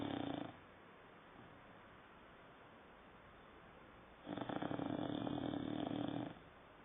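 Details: A nine-month-old dog named Saddam sleeps and snores. The tail of one snore fades out, then after several seconds of near silence a long, rasping, droning snore of about two seconds follows.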